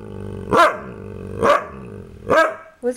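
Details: Kaiser, a pet dog, gives three loud, harsh barks about a second apart over a steady low background, then a brief higher sound at the very end.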